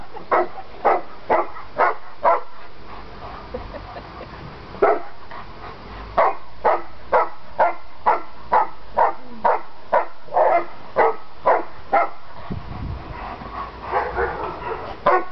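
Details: A long bout of play barking from Landseer dogs Aiko, his sister Adina and their mother Zindy during a visit: rapid, evenly spaced loud barks, about two per second, with brief pauses and scuffling sounds.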